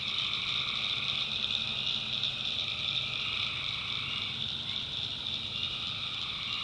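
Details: Tree frogs calling at night in the swampy backwoods of North Carolina: a dense, unbroken high trilling chorus, with a lower pulsing layer of calls underneath and no other clear sounds.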